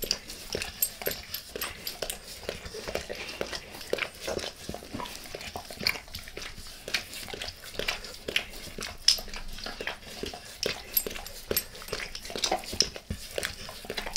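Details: Pet dog licking its owner's face indoors, close-up with no talking: a continuous stream of wet, smacking tongue clicks and slurps in quick irregular bursts.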